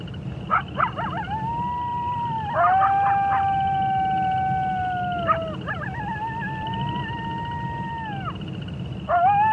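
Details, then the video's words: Wolves howling in chorus: long, steady, mid-pitched howls that hold then drop at the end, several voices overlapping, with short wavering notes between. A steady pulsed trill and a low rumble continue underneath. "Wolf Sounds"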